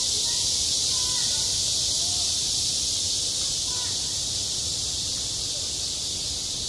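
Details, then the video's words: Cicadas singing over a school playground in midsummer: a steady, unbroken high-pitched buzzing hiss that never pauses, with faint distant voices drifting in underneath. "한 여름 운동장에서 매미가 울고 있다"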